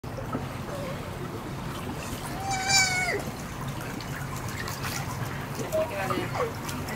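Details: Lincoln, a young sea otter pup rescued as an orphan by Monterey Bay Aquarium and in its care for five years, gives one short, high, harmonic squeal that dips at the end, over trickling water and a person talking about his coat.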